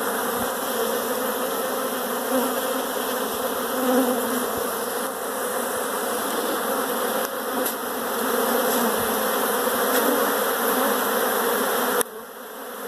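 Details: Many honey bees inside a house produce a thick, unbroken droning hum with gentle rises and falls in loudness, cutting off sharply near the end.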